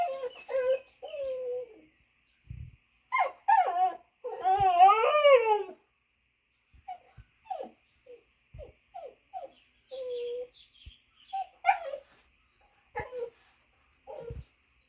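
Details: A dog standing on two legs and vocalising, with high-pitched squeals, whines and yips: short wavering and falling whimpers, a longer warbling howl-like whine near the start, and scattered brief yelps, with occasional faint speech.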